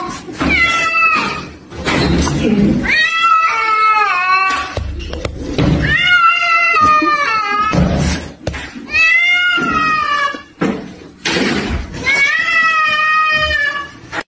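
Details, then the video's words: A pet cat cries for help as its owner chases a rat; a series of five loud, drawn-out harmonic wails, each rising then sliding down, repeated about every two to three seconds, with scuffling noise between. "Cat Cries for help as owner chases a Rat."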